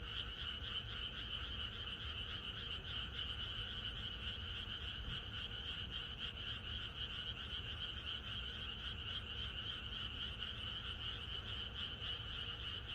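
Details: Frogs sing together in a rural landscape at night ahead of rain, their overlapping croaks forming a steady, shimmering throb that hardly pauses, rapid pulses running through a thick continuous chorus.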